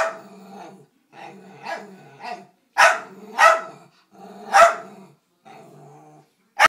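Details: Bandit, a Dachshund, reacting to a vacuum cleaner with growly grumbling that builds into loud, harsh barks roughly every second or two, ending abruptly on one more bark.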